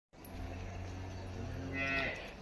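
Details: Holstein Friesian cow on a dairy farm gives a single long, low, steady moo with layered tones lasting about two seconds, growing slightly brighter and louder toward its end before stopping abruptly.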